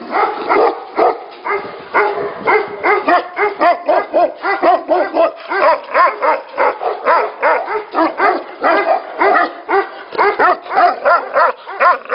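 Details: Tibetan Mastiff barking at a mastiff factory: rapid, loud, booming woofs in long runs, some slightly pitched and yelping, coming in quick bursts with brief pauses between runs.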